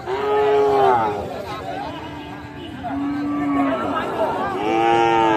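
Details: Sahiwal bull calves at Ambari cattle market, Tangail, on 13 January: three drawn-out, harmonic moos, one near the start, one mid-clip and one at the end, each rising then sliding down, over a low murmur of the market crowd.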